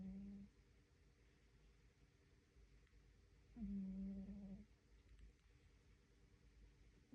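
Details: Cat asleep and snoring in a quiet room, a low droning hum lasting about a second, then a long silent gap before the next breath.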